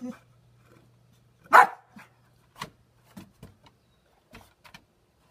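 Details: Titan, a boxer dog almost nine years old, chasing reflections: a soft grunt, then one loud, sharp bark at about one and a half seconds, followed by scattered light clicks, thumps and a steady low hum.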